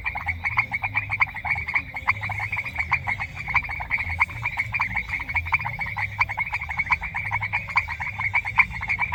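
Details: Frogs calling together in semi-humid grassland countryside: dense, fast-repeating clicky croaks layered into a constant pulsing chorus, unbroken throughout, over a soft low background hum.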